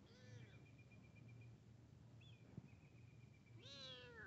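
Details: Kitten meeting a big cat indoors: a short falling meow at the start, a long thin whistle-like tone through the middle, then a louder rising-falling meow at the end over a low hum.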